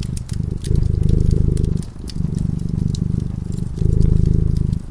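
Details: Sleeping cat by a cozy fireside, purring in a deep continuous rumble that rises and falls with each breath, roughly one cycle per second, while the fire crackles and snaps in the background.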